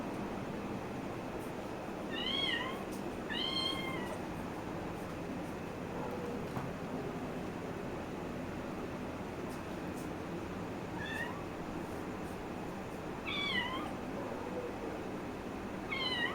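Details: Kitten playing lets out a scattering of brief, sharp meows, two close together early, then single ones spaced several seconds apart, amid low room noise and a person speaking.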